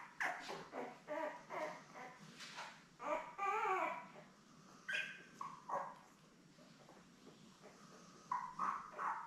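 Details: Seven newborn Labrador Retriever puppies born May 24, 2021, with their mother Belle on a puppy cam: irregular squeals, grunts and wavering whines from several pups, with quieter gaps between bursts.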